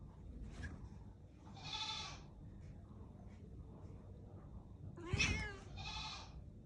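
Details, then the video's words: Angry domestic cat giving drawn-out, harsh, strained meowing calls, one near the start and a louder double call toward the end, separated by quiet stretches with low background rumble. "Angry cat"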